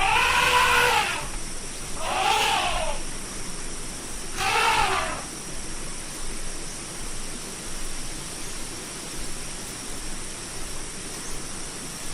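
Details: Three short elephant trumpets in the first five seconds, each arched and brassy, followed by a long stretch of only background noise.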